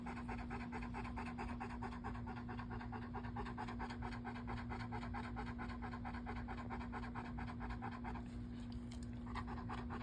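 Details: Male pet dog Bo pants steadily and rhythmically for about eight seconds, fast breathy pulses, before easing off near the end, with a persistent low hum in the background.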